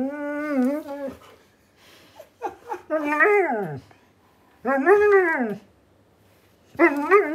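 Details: A male Siberian Husky gives drawn-out, wavering howl-like moans that rise and fall like talking, seemingly wanting his owner off the game console.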